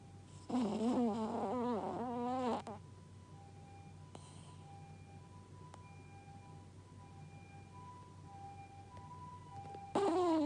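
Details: Pet dog Gaku, deep asleep and looking content, gives a two-second snore of rapidly wavering whistle-like tones falling in pitch, followed by quiet room hum with faint steady tones, then the snoring starts again.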